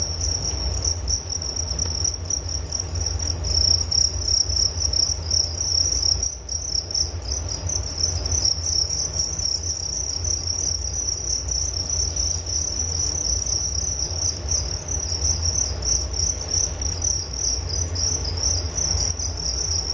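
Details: Long stretch of constant cricket song, a bright high trill pulsing rapidly and holding steady, with a faint low rumble and a brief dip around the middle.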